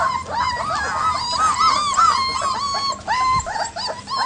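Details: Leonberger puppies outside for the first time, panicking as the big dogs bark; continuous high, arching whimpers and whines, several voices overlapping in quick succession.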